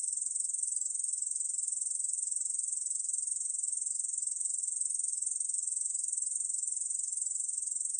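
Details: A Korean bush cricket, recorded in 2020, sings a continuous, high, sizzling buzz that never pauses.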